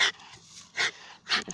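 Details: Paralysed dog on wheels playing with a ball, panting hard: three breathy, broadband huffs about half a second apart, with quiet gaps between them.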